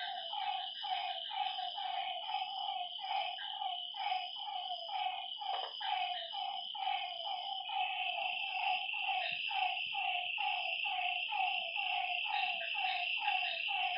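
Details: Lakeside frogs at night give rapid, regular croaking notes that overlap into a continuous chorus, backed by an unbroken shrill insect hum.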